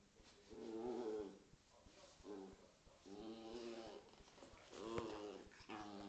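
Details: Corgi and Scottish Terrier at play, growling in four bursts of rough, harmonic grumbles about a second apart, the loudest near the end, with faint rustling between them.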